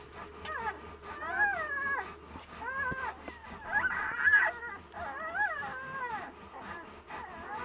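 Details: One-week-old Komondor puppies from a kennel litter born in March 2018. Several puppies whimper and squeal continuously in thin, wavering rising-and-falling cries that overlap one another, with a louder burst near the middle and a low background hum throughout.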